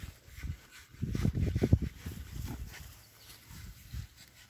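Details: Berkshire pigs enjoying a new paddock give a quick burst of deep, rapid grunts early on, then softer scattered snuffles fading out, with a faint outdoor hiss behind.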